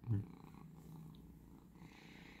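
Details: House cat purring while relaxed, the same pet that wakes its owner at 5 am for food. A sharp knock opens, then a quiet, steady low purr continues.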